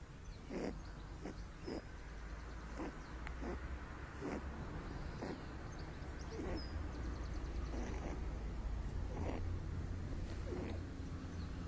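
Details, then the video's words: Pet rabbit Loopy, born with cerebellum damage, snoring loudly while asleep in the sun: short breathy snorts repeat roughly every half second over a steady low rumble. "Rabbit Snoring In The Sun"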